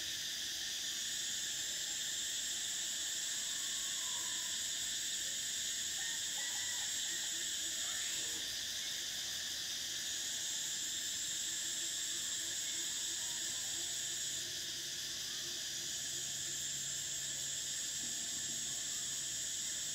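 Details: A summer cicada chorus: an intense, continuous high-pitched whine whose top layer swells and drops away briefly a few times. Faint short chirps from other creatures sit well below it.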